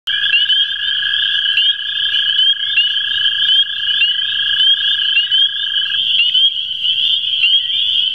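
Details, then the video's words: American toad at the CWRU Farm on April 21, 2016, one of two calling: a steady, even-pitched trill that runs unbroken for about six seconds, then stops, under a dense, higher chorus of repeated chirping calls. "Two American Toads Calling"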